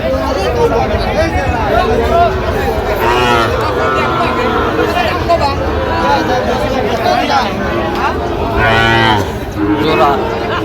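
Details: Sahiwal bull calf bought by a farmer in Chittagong, Bangladesh, on 4 September 2025, giving drawn-out low moos with arching overtones, the loudest near the end, over steady chatter of a crowd of people outdoors.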